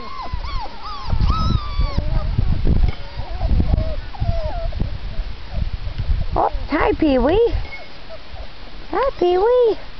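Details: Four-week-old puppies giving high, arching whimpers and squeals, scattered early then in sharper bursts near the end, while a person talks softly and low handling thumps sound beneath.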